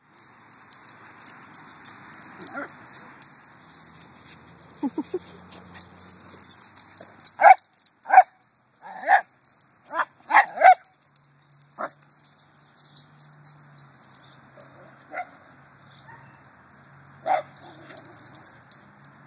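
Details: Two Italian Greyhounds, named as small dogs of 20 lbs or less, at an off-leash small-dog park in Sepulveda Basin, Encino, with huge shade trees, give sharp, high yipping barks in quick bursts with quieter gaps between.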